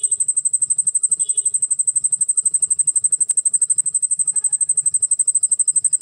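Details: Cricket calling nonstop as its wings move, described as dancing: a clean, shrill, very high trill of fast regular pulses, with only faint low background murmur.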